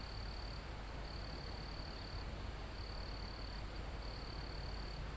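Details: Crickets in a forest near the top of a mountain, recorded live: four steady, high, pure-toned trills, each lasting about half a second to a second with short gaps, over a constant rushing hiss of wind in the foliage and trees.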